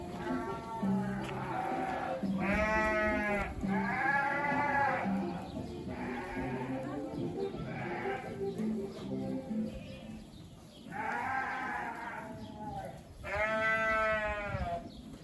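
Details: Dorper sheep bleating on a farm, several loud wavering harmonic bleats of one to two seconds each scattered through the recording, with quieter bleats between them, a low background rumble, and faint music.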